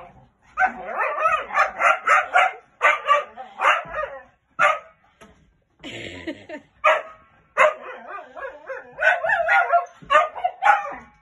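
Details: A golden cocker spaniel playing with a giant bouncy ball gives quick runs of high, excited barks and yips, with short pauses between bursts.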